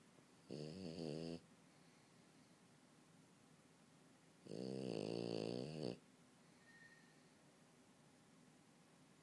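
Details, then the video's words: Sleeping French Bulldog snoring on a couch indoors: a short raspy snore followed by a longer, louder buzzing snore about three seconds later, then quiet breathing. "french bulldog snoring"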